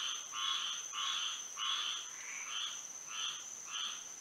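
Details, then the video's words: Frogs singing at night in Florida by moonlight. Seven short, reedy croaks come roughly every half second, some slightly lower in pitch, over a thin, steady insect whine. "A frog symphony to sleep and relax to"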